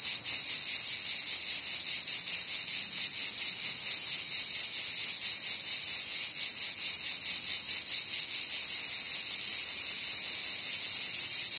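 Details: Loud cicada call: an unbroken high-pitched electric buzz with a fast rhythmic pulsing, holding steady intensity for the whole stretch, nothing else audible.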